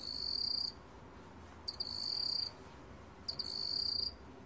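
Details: Black cricket singing three buzzy, pulsed chirps, each close to a second long, high-pitched with bright overtones, separated by pauses of roughly a second, with a quiet hiss between them.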